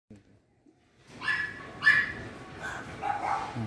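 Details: German Spitz puppies, 45 days old, male and female, described as very active and playful: a few short high yelps in quick succession after a brief silence, with faint background noise.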